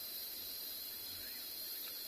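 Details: Cicadas in the evening at a South African game reserve, making their noise by constricting muscles around an empty cavity to create a vibration: a steady, continuous high-pitched shrill hiss without pauses.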